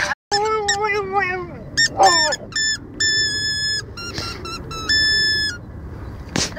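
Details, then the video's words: Dogs singing along to music, giving a few wavering, falling howls at the start, then steady flat musical tones with short notes and speech in the background. "dogs sing the song"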